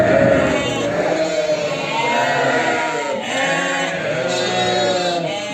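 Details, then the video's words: Sheep herd with lambs during preparation, dense overlapping bleats, quavering and tremulous, several voices at once, steady chorus throughout. "Funny sound #Preparation of sheep herds with lambs"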